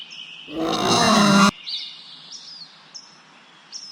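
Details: Wild boar letting out one loud, harsh, drawn-out squealing roar lasting about a second, which stops abruptly, followed by thin bird whistles and chirps.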